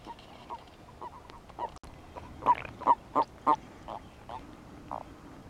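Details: Male European fire-bellied toads call in the mating season: soft, mellow hoots repeated roughly every half second, a louder run of four in the middle, then fainter notes fading out over a quiet hiss.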